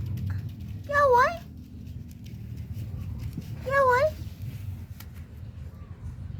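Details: Kitten giving two short, high meows about three seconds apart, each with a wavering, slightly rising pitch, over a low steady hum and faint background murmur indoors.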